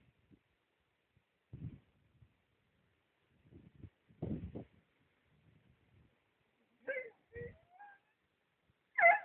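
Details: Husky puppies: soft low thumps and rustles at first, then several short, high, tonal whining squeals near the end, some bending upward, with the last squeal the loudest.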